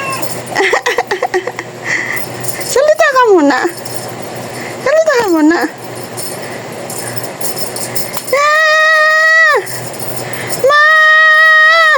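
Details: Talking pet cat with two arched meows that rise and fall, then two long, steady, level-pitched meows of over a second each near the end, against a low background hiss.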